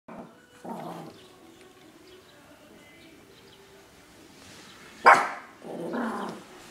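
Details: Guard dogs on duty barking: two short bursts of bark, one at the start and one near the end, with a sharp loud yap just before the final bark and quiet background between.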